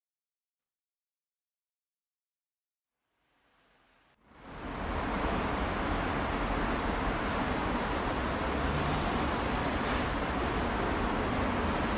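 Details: Silence for about four seconds, then loud steady wind-like rushing noise with no animal sound.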